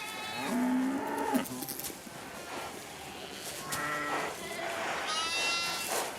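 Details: Flock of sheep in France beside a Patou guard dog puppy born a few days earlier, raised among them to be accepted; several wavering bleats from different animals, one high and quavering near the end, with rustling in between.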